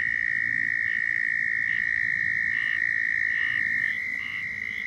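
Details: A southern toad in Florida gives its mating call, a sustained high-pitched trill that cuts off just before the four-second mark, leaving soft repeated chirps from other callers in the background.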